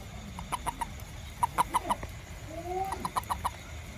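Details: After rain, a little toad hunting ants around a home gives quick trios and quartets of short clucking notes, while a brief rising, sliding sound passes midway through.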